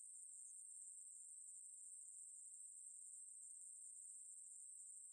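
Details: Song of the Ruspolia katydid, known in Korea as 매부리, from a 2020 National Institute of Biological Resources recording: one sustained shrill buzzing drone at constant pitch and loudness, without pauses, over a quiet background.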